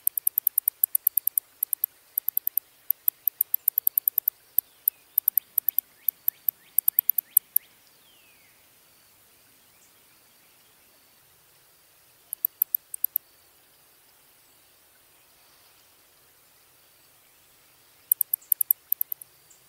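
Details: Big brown bat (Eptesicus fuscus), shown baring its teeth and flying away: rapid trains of sharp, high clicks in dense bursts for the first seven seconds, a run of short descending squeaks midway, then quiet broken by two brief click bursts.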